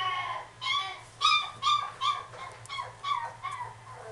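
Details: Female Miniature Dachshund at a pet shop, letting out short, rising-and-falling whines and yips in quick, uneven succession, roughly two or three per second, some sharper and brighter, over a constant low electrical hum.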